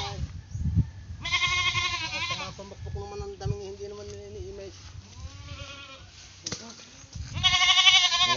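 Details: Pesky pet goat letting out a trembling harmonic bleat, then quieter vocal sounds and a lull before a second loud quavering bleat near the end; people talk faintly behind.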